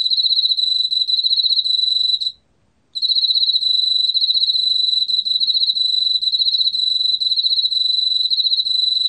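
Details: Emma field cricket singing: a loud, steady, high pulsed trill with fast regular pulses, briefly pausing once for about half a second before resuming, over a quiet background.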